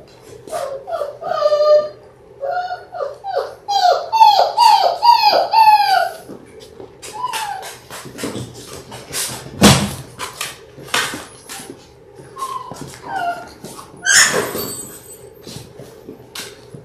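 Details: Six-week-old Labrador Retriever puppies, a litter of six born January 18, 2022, indoors on a live puppy cam: a burst of high, arching, harmonic whines and yelps over the first six seconds, then scattered short squeaks, thumps and clicks.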